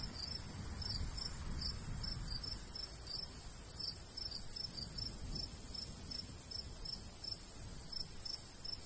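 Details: Crickets in a golden wheat field in the summer countryside, chirping in steady high pulses roughly twice a second over a soft low rumble of light breeze.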